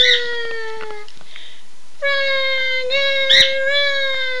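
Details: Two pet dogs howling after their owner says "Run Guy run"; a falling held note breaks off, then a louder sustained wail resumes and carries to the end, with a short yelping burst layered on top.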